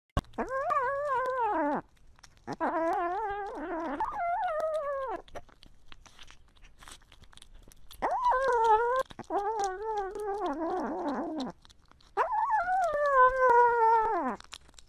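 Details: Pomeranian dog making drawn-out, wavering, howl-like cries rather than sharp barks. The cries come in four long bouts of one and a half to three seconds, separated by short pauses with faint rustling.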